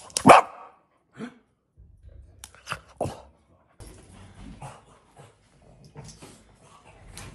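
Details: A French Bulldog puppy, playing with grill tongs, gives a loud, harsh bark-like yelp, then softer grunting and whining noises likened to a monkey.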